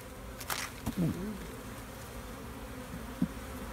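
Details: During an inspection of a new queen bee's hive, a colony drones in a low, even buzz, with a couple of brief bumps and a short scrape from handling the comb.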